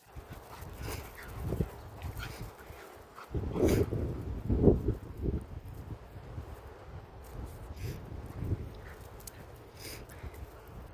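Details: Little dog jumping to play with her big dog friend; low, rough bursts of sound, loudest around the middle, over a steady low background rumble.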